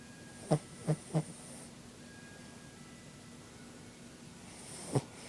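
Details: Vickie the dog snoring in her blanket, giving a quick run of three short nasal snorts, then a long pause before a single louder snort and a faint breathy hiss, over a low constant hum.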